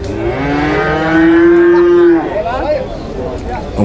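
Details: Water buffalo calf at Chholakkal market, Payyanad, Manjeri, Kerala: a two-second moo that starts lower and climbs slightly before cutting off, followed by market chatter and noise.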